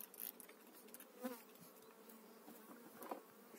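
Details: Honey bees buzzing as a beekeeper transfers a calm colony into a new hive in spring 2018. A continuous low hum is broken by a few sharper, louder passes of single bees and small clicks from the frames.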